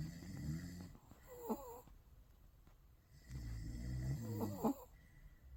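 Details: Five-month-old Bichon Frise puppy asleep indoors, worn out after a ten-minute morning walk, snoring in two long low rumbling breaths, each ending in a brief wheezy whistle, with a quiet pause between them.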